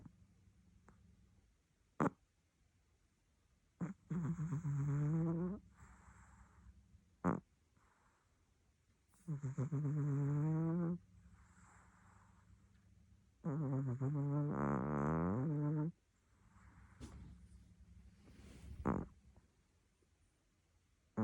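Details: Domestic cat fast asleep and snoring with pig-like rasping: three loud, low, buzzy snores of about two seconds each, spaced roughly five seconds apart, with softer breathy exhalations between them and a few faint clicks.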